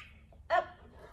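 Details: Male dog in trick training for an AKC Trick Dog Novice submission, between spoken commands of up and down: a single short, sharp harmonic bark midway through, over a quiet indoor background.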